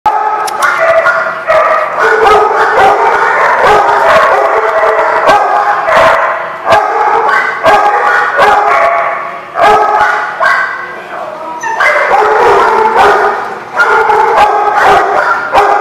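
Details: Many dogs barking together in a chorus at a place called The Barking Lot, recorded 22 April 2016, dense overlapping barks and yips with few gaps, loud throughout.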